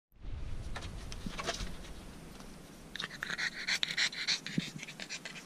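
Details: Blue French Bulldog puppy panting: quick rhythmic breathy puffs, about three a second, with some crisp higher-pitched sniffing or snorting bursts in the second half.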